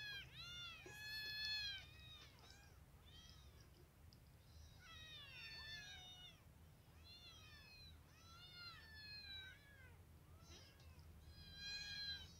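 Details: Four hungry baby kittens eagerly eating boiled chicken, giving high, arched, overlapping meows almost without pause, several callers at once, over a steady low hum.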